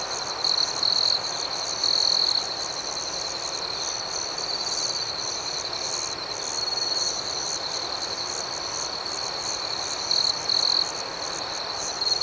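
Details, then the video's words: Crickets chirping at night in a steady, high, continuous chorus. A nearer caller adds louder trilled bursts around the first second, near two seconds and again after ten seconds, with a faint pulsing shimmer above. "Soothing Cricket Sounds"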